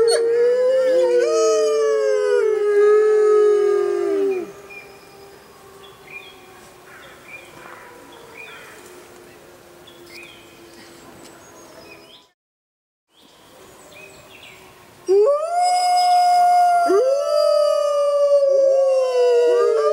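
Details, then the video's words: Grey wolves in the wild howling at full moon from the jungle: a chorus of falling and wavering howls fades after four seconds to quiet distant calls, a brief silence, then strong overlapping howls return. "Wolves Howling Sounds in Wild Life | Wolf Howling"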